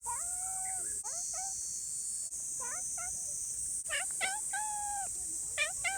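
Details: Friendly, affectionate community cats meowing: a long, level meow, then a series of short, rising-and-falling meows. A steady, high insect-like hum runs underneath throughout.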